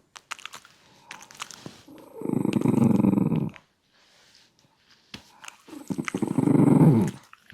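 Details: Shiba Inu puppy growling while eating its food indoors: two long, low, rumbling growls of about a second and a half each, separated by a pause, with chewing and clicking sounds between them.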